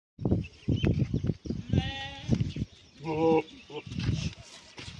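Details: Goats in a welcoming group meeting, greeting joyfully: two short bleats with a clear tonal quality stand out between repeated dull low thumps and knocks.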